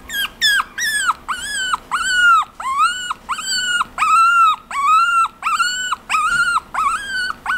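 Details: Chihuahua giving a series of about a dozen high, arched whining yelps, each rising then falling slightly, spaced unevenly at roughly two per second, with a quiet room background.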